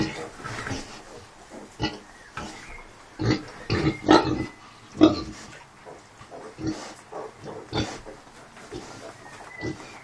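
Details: Kunekune sow with 5-day-old piglets, still grumpy after being unwell; irregular short grunts, about one per second, a few louder resonant ones near the middle, with soft background rustling.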